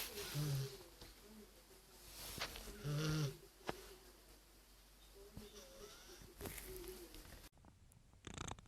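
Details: Sleeping domestic cat snoring: low, rough breaths swell up twice, about two and a half seconds apart, with soft rustling between and an abrupt cut near the end into a different quiet scene.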